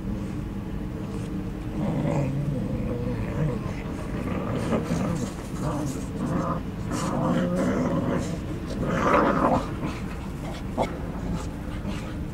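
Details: Two English Cocker Spaniels, Ruby and Bella, playing together in August 2014: rough, breathy growls and grumbles come in uneven bursts, with a louder scuffle near the end. People talk throughout over a low background rumble.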